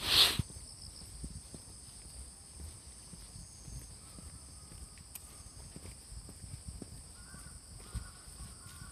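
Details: Autumn insects call in Fujimori Park, Hachioji, on a cool, drizzly morning of 6 September 2020, after the cicadas have gone quiet. A continuous shrill, ringing trill holds steady throughout. A sharp loud knock opens the recording, with soft background hiss.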